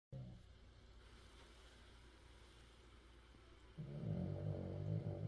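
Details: A sleeping Spitz puppy snores with a sound likened to a digging machine: a low, rough rumbling, quiet at first, then swelling into a louder, harsh, grinding low snore from about four seconds onward.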